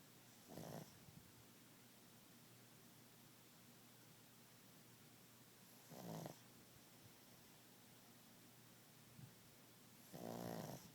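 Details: Sleeping dog named Monkey snoring, with possible sleep apnea: three raspy snoring breaths roughly every five seconds, the last the longest and loudest, over a steady low hum.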